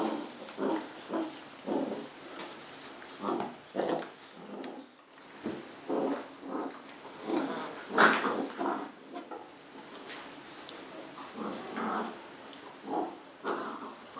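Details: Two 10-week-old Cardigan Welsh Corgi puppies, brother and sister Fos and Ebo, play fighting at home in Adelaide, South Australia; short low growly grunts and snarls come in irregular bursts, roughly one or two per second, throughout.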